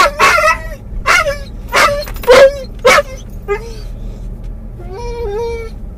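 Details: Muzzled Doberman/collie cross dog in a car, calling for his lost toy as he nears where he thinks it is; sharp yelping barks repeated about once a second, then drawn-out whines, over a low engine hum.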